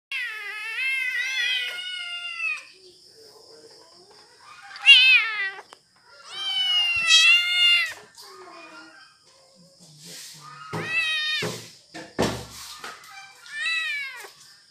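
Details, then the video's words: Hungry kitten meowing because it wants food: a series of about six loud, harmonic meows, some drawn out and some short, separated by brief pauses, with a steady high-pitched background tone throughout. "Hungry Kitten Meowing"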